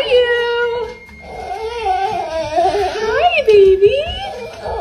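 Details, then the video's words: Female golden retriever crying happily with excitement at seeing her owner, high, wavering whines that slide up and down, one drawn out then a run of quavering, sobbing rises and falls, indoors in a small room. "Golden Retriever is so excited to see her mom, she happy cries and it's so sweet."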